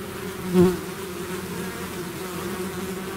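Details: A swarm of bees leaving the hive drones steadily, and one bee passes close just after the start with a brief louder, lower buzz before the even hum of the swarm resumes.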